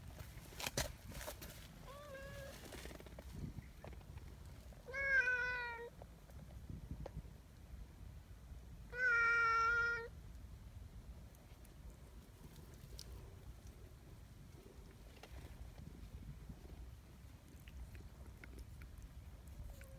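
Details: Donchan, a big, affectionate black community cat, gives drawn-out harmonic meows, a faint short one near two seconds, then two loud steady cries around five and nine seconds, over low outdoor rumble.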